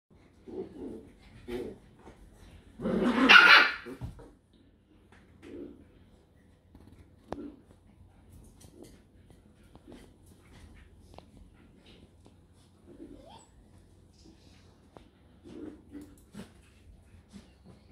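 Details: Scottish Terrier at a breeding kennel in Hungary: one loud, harsh bark burst near the third second, then scattered soft, short low sounds and quiet room background.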